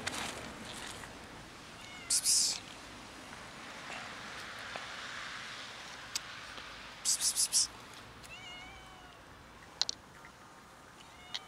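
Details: Fluffy kitten living on the street, giving a few short, thin meows that rise and fall, mostly late in the clip, between loud hissing bursts of noise over a steady outdoor background hum.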